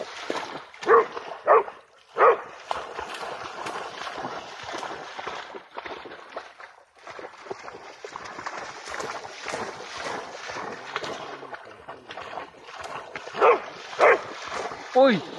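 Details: Tireless Pharaoh Hound hunting a bat above water: three quick barks at the start, a long stretch of only background noise and faint voices, then three more barks close together at the end.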